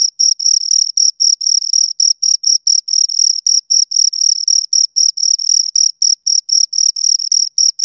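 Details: Two crickets produce a shrill, rhythmic chirp by rubbing their wings together, short pulses repeated about four per second in a regular train over a quiet background.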